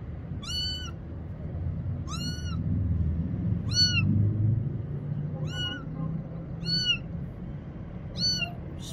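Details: Little kitten, afraid of the bathroom and hiding behind a motorcycle, meows for help: six high, arched, clear meows spaced about every one and a quarter seconds, over a low background rumble.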